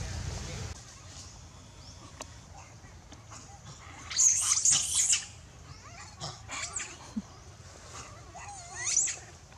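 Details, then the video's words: A baby monkey named Lewis screams loudly, calling its mother for help while in danger. Shrill, high-pitched cries come in a dense burst near the middle, then scattered shorter squeals and a final sharp cry, with faint background rustling. "Poorest Little Baby Lewis Screaming loudly call mom to help, baby is in dangerous.."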